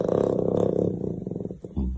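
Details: Young black panther in Russia, too fierce to accept cuddles, lets out a sustained low rasping growl that breaks into choppy pulses, then a final short deep burst.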